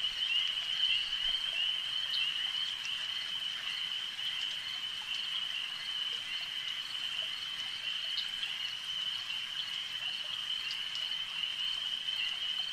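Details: Lakeside frog chorus: many frogs blending into a continuous high-pitched trill that barely wavers over the whole stretch, with occasional faint clicks overhead.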